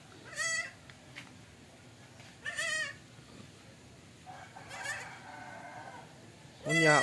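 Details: Goat calling in a short farmyard recording: wavering, nasal bleats with a shaky tremolo, one near the start, another around two and a half seconds, then a loud final bleat at the end, with faint background voices between.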